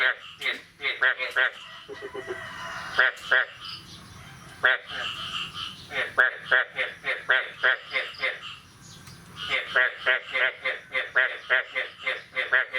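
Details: Frogs calling on the morning of 9 May 2022 after the year's first rain: bursts of harsh, pulsed croaks repeated about three times a second in uneven runs, with a few brief tonal notes mixed in.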